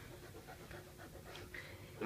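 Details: Saint Bernard named Sully welcoming his dad back from work, needy and pinning him down; steady quick panting pulses, soft and close, with no clear voices.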